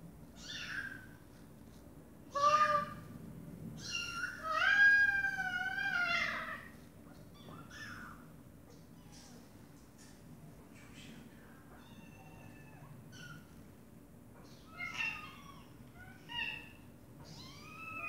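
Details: Domestic mother cat with her meowing baby kittens: several loud wavering meows early on, then quieter, higher kitten-like mews scattered through the rest, irregular spacing.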